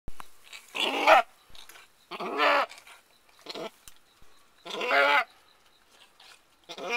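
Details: Mary, a female Alpine/Nubian goat giving birth to her first kid of the year on 14 May 2010, cries out in four loud, harsh, harmonic bleats, each under a second, separated by short quiet gaps.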